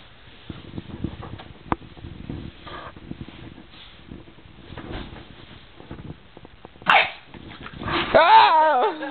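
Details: Kingston, a four-month-old bulldog puppy, attacking indoors: soft scuffling and thumps, a sudden noisy burst near seven seconds, then a loud wavering, harmonic whining cry rising and falling at the end.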